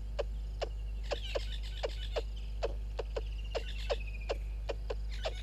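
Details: Squirrel calling near a waterhole camera at Gowrie dam in Djuma Game Reserve, Sabi Sand Wildtuin, South Africa, early morning at 06:24: a series of short percussive chucks roughly every half second, faint bird twittering and a constant low electrical drone.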